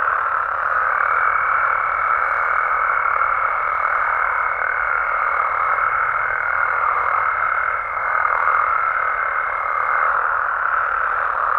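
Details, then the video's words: Massed calls of Mexican frogs and toads at night in natural surroundings, an even, crowded croaking drone at middle pitch, overlaid for most of the stretch by a sustained thin high whine that stops near the end. "Mexican Frogs & Toads Sounds"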